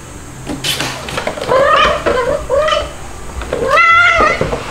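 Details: Stuart, a two-month-old white male kitten, cries at home in July 2022, nursed by two mother cats. A series of rising-falling harmonic meows, four or five in under five seconds, the last one long and sustained, with faint background noise.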